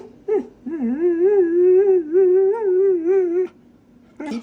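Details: Dog trained in voice control, prompted by a person to 'talk': one long wavering, whine-like vocal about three seconds long, warbling up and down in pitch, with a short yelp-like note before it and quiet indoor room sound.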